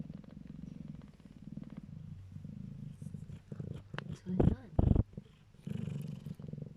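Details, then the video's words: Nursing calico kittens purr contentedly in a low, steady rumble while a person speaks softly nearby. "ゴロゴロ〜。ご機嫌🐈仔猫ちゃんたちのゴロゴロ音 Kitten rumbling sound （Calico cats）"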